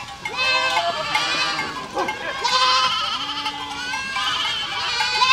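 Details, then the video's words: Goat flock walking through a village, many overlapping wavering, nasal bleats in quick succession, some high and quavering, others lower and shorter, with steady background murmur. "Efeito sonoro de rebanho de cabras caminhando por uma aldeia"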